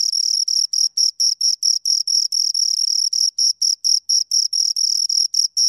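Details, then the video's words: A pair of crickets keeps up a steady run of sharp, high-pitched chirps, short pulses repeated roughly four times a second with small silent breaks, clean and free of other sounds. "Two Crickets Chirp Sounds"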